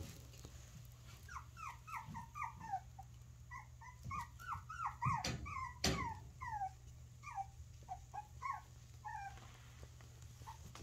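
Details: Teacup Poodle puppy, lively, eating well and playing: a long run of high, thin whimpers and yips, each sliding downward, in quick irregular bursts, with a steady low hum and faint clatter behind.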